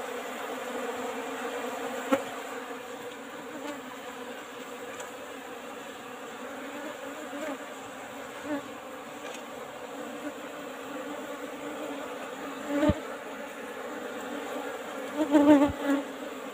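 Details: Hum of an Apis cerana colony in an old-fashioned hive box while its honey is harvested. The even, continuous drone holds throughout, with scattered thumps and brief louder bursts near the end.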